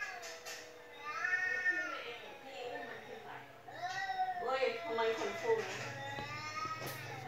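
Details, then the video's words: Domestic cats meowing indoors while the house cat, which keeps meowing nonstop, is played a recording of cats meowing; several drawn-out harmonic meows overlap, bending up and down, with voices in the background. "แมวที่บ้านร้องไม่หยุด1 เลยเปิดคลิปแมวร้องให้ดู"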